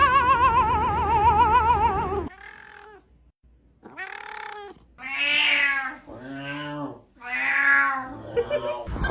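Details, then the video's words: Domestic cat giving strange vocalisations: a long, wavering, warbling yowl for about two seconds, a pause, then four drawn-out, moaning meows, each rising and then falling. "Cat's Weird sounds 2.0"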